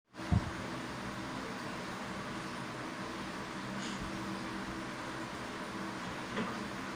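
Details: A steady low hum like air conditioning continues throughout, broken by a brief knock near the start, with no animal voice heard.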